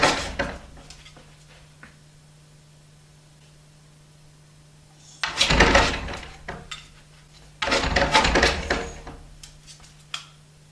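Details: Dog scratching at a door to go out: rough, broadband scraping bursts near the start, then two longer bouts of raspy scratching separated by quiet taps, with a steady low hum throughout.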